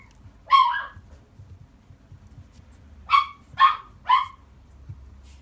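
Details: Shih Tzu puppy in Ushiku giving high, yappy barks: one bark near the start, then three quick barks about half a second apart after a pause, over a quiet low background hum.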